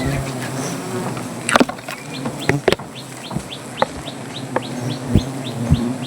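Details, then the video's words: Agitated honey bees swarming as honey is taken from a wild hive under a tree; a continuous low hum with sharp clicks and knocks, and faint quick chirps sounding repeatedly above it. "রাগী মৌমাছির"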